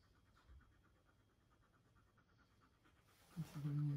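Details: Husky meeting a puppy for the first time, panting softly in a steady rapid rhythm for about three seconds before a short burst of human voice closes the moment.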